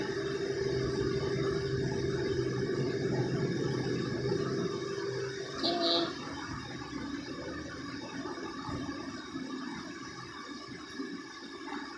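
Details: Indoor room noise at night with a steady hum, running water and a brief clatter midway; no animal voice is heard.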